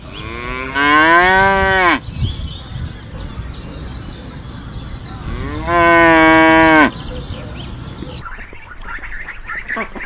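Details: Cow mooing: two long, low, drawn-out moos with rich harmonics, each about a second long and roughly four seconds apart, over faint background noise.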